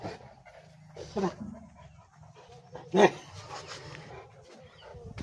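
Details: Angry bullmastiff dog giving two short, gruff bark bursts about two seconds apart, with steady panting between them and faint human voices in the background.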